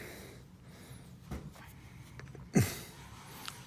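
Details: Prince the cat, while getting a nail trim, lets out a single loud, short grunting snort that drops sharply in pitch, like a pig noise, among faint clipper clicks and soft breathy rustling in a small room.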